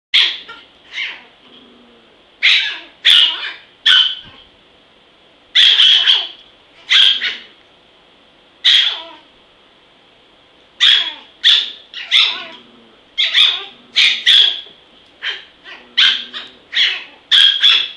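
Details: Zen, a small dog described as vicious, barks in sharp, high-pitched bursts, singly and in quick runs of two or three, with short pauses between volleys across the whole stretch; a faint steady high hum lingers in the background.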